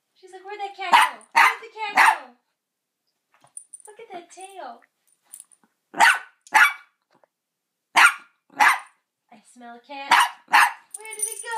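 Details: Double dapple dachshund, born without eyes and deaf, barking at her first encounter with a cat: short, harsh, harmonic barks in pairs about every two seconds, with quiet gaps and a person's soft speech between.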